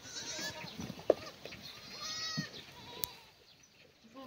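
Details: Black goats on a free-range, antibiotic-free farm on the slopes of Mucheoksan, Sangdong-myeon, Gimhae, South Gyeongsang, Korea, on a sunny Tuesday morning, 28 May 2019, during morning feeding of cut strawberry plants; a few faint harmonic bleats over background rustling and clicks.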